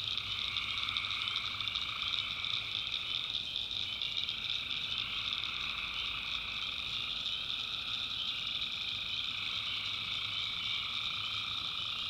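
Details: Tree frogs calling at night in a North Carolina backwoods swamp: a dense, unbroken chorus of many overlapping high trilling voices stacked in several steady bands, with a faint low hum underneath and crickets blending in.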